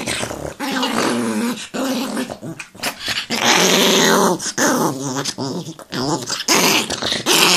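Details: Growling from an angry Chihuahua: a near-continuous, raspy snarl in uneven surges, with several louder bursts and short whiny notes.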